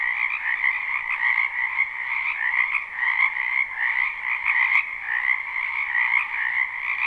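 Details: Numerous frogs calling in a spring wetland, unlooped live recording: continuous buzzing, trilled croaks layered into a thick steady chorus, with a single sharp click just before five seconds.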